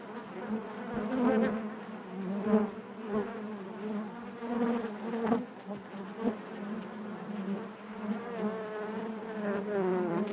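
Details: Inside a honey bee hive, a continuous layered drone of many bees hums on, its overtones wavering and rising slightly in pitch, with small surges in volume and faint knocks.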